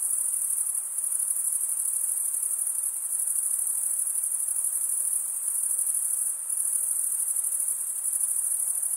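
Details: A dense chorus of male crickets stridulating: a high, shimmering trill with slight dips in loudness every few seconds, otherwise constant and free of other sounds.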